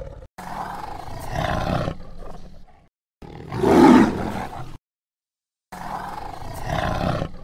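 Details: Deep jungle tiger giving three drawn-out, raspy roars, the middle one loudest and most forceful, each cut off by sudden silence.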